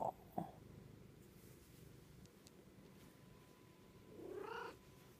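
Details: Pet cat, a female, gives one short rising meow near the end, with soft harmonic layers, after a quiet stretch of low room hum and a couple of brief clicks at the start.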